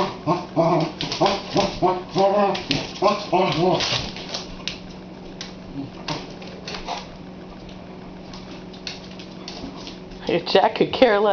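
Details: Pet dog Boxster barking indoors at a watermelon on the kitchen floor: a quick run of about eight harmonic barks over four seconds, then a quiet stretch, and a person's voice near the end.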